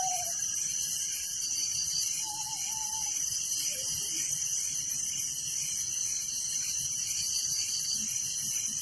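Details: A village night chorus of crickets: an even, high, rapidly pulsing trill that never pauses, with a couple of faint short whistles early on.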